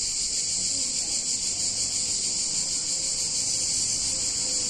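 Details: Cicadas singing on a hot summer day in a picturesque Italian town: a dense, steady, high-pitched shimmering buzz without pause, with faint murmuring low background noise beneath.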